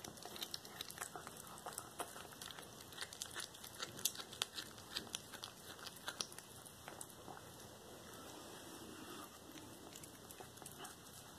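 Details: Whole-prey feeding by Cracker, a black tabby cat, devouring a small rat on February 13, 2022: crackling, crinkly bone crunches in quick irregular runs, easing toward the end, over a faint continuous high tone.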